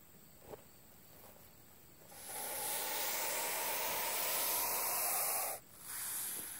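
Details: Non-venomous hognose snake acting like a cobra in a defensive show; after a quiet start a steady airy hiss swells and holds about three and a half seconds, stops abruptly, then briefly resumes.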